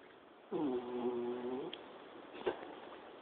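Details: A dog asleep and snoring, recorded on a mobile phone: one long, low, buzzing nasal breath lasting about a second, followed by a short soft snort and quiet breathing.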